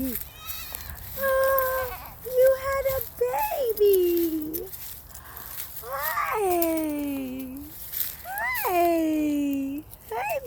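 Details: A goat that has apparently just had a baby kid gives drawn-out, quavering bleats every few seconds, each sliding downward from a high start, while excited people chatter and greet it between calls.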